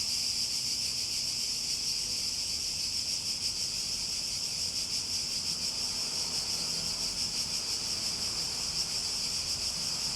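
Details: Cicadas droning in a steady, high, shimmering buzz with a faint rapid pulse that runs unbroken for the whole stretch. Little else can be heard apart from soft background hiss.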